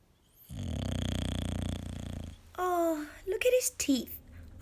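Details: Male English bulldog snoring at home: one loud, low, rattling inhaled snore of nearly two seconds, followed by a person's voice talking.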